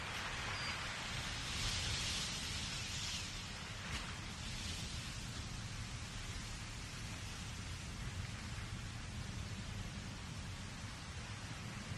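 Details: Steady broadband roar of wind and surf, with no clear animal calls standing out.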